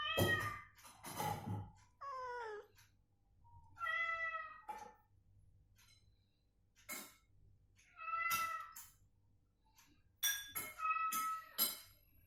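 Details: Domestic cat in recovery, deliberately provoked with the same cat sound so it moves and calls, answering back and forth: a series of harmonic meows, some falling, some drawn out, between sharp knocks and clicks indoors.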